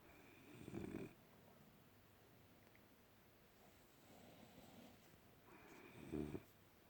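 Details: French Bulldog snoring while asleep in a small room: two harsh, throaty rattling snores about five seconds apart, with a softer drawn breath between them and quiet room hiss.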